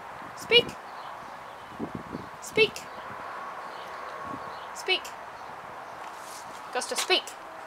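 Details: Gus, a German Wirehaired Pointer crossed with a Bracco Italiano, barking on the "speak" command during a training session outdoors: four short, sharp barks spaced roughly two seconds apart, with a man's voice giving commands and praise in between.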